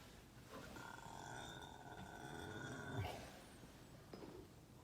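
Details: Ken-chan the horse, sleeping and snoring, a very rare sight: a low grinding snort builds toward a louder breathy burst near 3 seconds, with a faint buzzing hum and another soft exhalation near the end.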